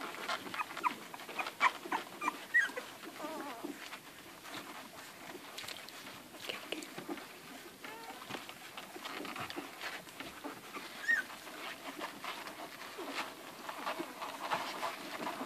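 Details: Suckling Irish Red and White Setter puppies, eleven hungry pups on mother Ruby, make a dense rustle of sucking and lapping, broken by scattered tiny high squeaks and faint whimpers.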